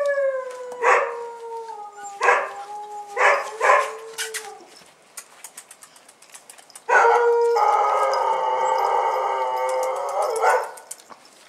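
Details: Bull Terrier puppies on their first outing, 18 January 2015: four drawn-out, falling howling yelps in quick succession, a pause with faint clicks, then a long, steady, harmonic-rich whining cry lasting about four seconds.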